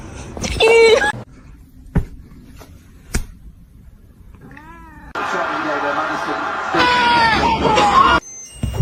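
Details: Cat meowing: a short, tonal meow near the start, then a rising-and-falling meow midway, set between abrupt cuts filled with human speech and loud, dense bursts of indoor noise.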